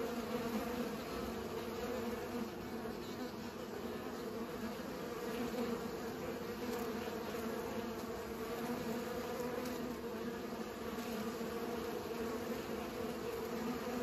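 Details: Bees pollinating flowers, a steady layered hum with bands near 250 and 500, continuous and even throughout with many wings overlapping, no other clear sounds.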